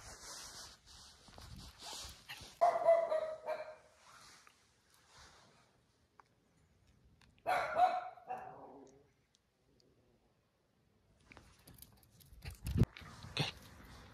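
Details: Jack Russell Terrier out on a night tour while chasing a cat, giving two separate short bursts of barking with quiet gaps and some faint rustling between them.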